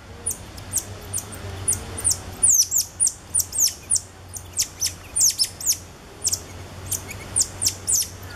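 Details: At Alma Park Zoo in November 2013, cotton-top tamarins, the father bearing two ten-day-old babies, give thin high whistles and sharp falling chirps, spaced roughly every half second, over a low steady hum.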